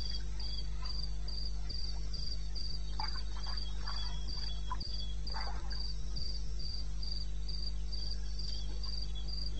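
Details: Cricket recorded at night, 2:30 am in May, in the wilderness of eastern Botswana: quick repeated high chirps, near four per second, steady throughout, with soft rustles midway and a constant low background hum.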